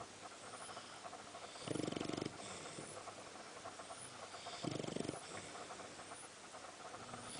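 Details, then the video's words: Sam the Boxer asleep and snoring: two longer, rough, buzzy snores roughly three seconds apart, louder than the constant hiss behind them. "BOXER DOG SAM: (2) THIS IS A COMFY SNORING POSITION TOO"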